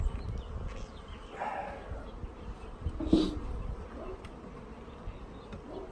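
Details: Honey bees arriving home in a package, with fresh syrup readied for them as they are installed. Low humming drone runs throughout, with a sharp clack and handling rustles midway.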